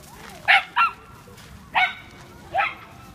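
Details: Evening at the Yoyogi Park dog run, where Tawashi, a male Norfolk Terrier aged seven months, plays. Four loud, bright barks sound, two close together, then two more spaced nearly a second apart, against quiet low rumble.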